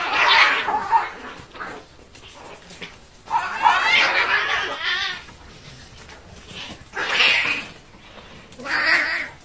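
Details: Cats in a real fight give loud, harsh yowls and screeches. Four strained, wavering bursts of one to two seconds each are separated by quieter pauses.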